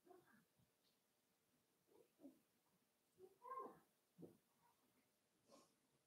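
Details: Five-week-old Cavalier King Charles Spaniel puppies in Daisy's puppy pen indoors give a string of soft, short whimpers and grunts, some rising into a brief higher squeal, with breathy snuffles between them.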